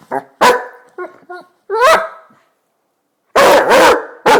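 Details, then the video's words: Bowser, a Basset hound, rousing its owner in the morning with short whimpering yips and a rising whine, followed after a pause by a burst of heavy, rough barks. "Basset hound alarm clock"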